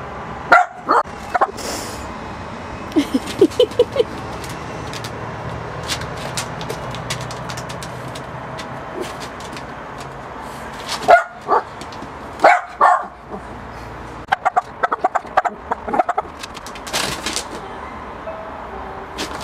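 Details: Miniature Pinscher barking at a balloon. Scattered sharp barks, with a cluster around the middle and more near the end, between crackling, rustling clicks and quieter gaps.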